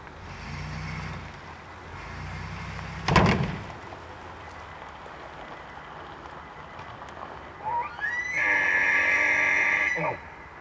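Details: Bull elk in rutting season, angered by a van stopped too close, gives a high whistled bugle that rises steeply and then holds for about two seconds near the end, after low engine rumble and a sharp loud bang.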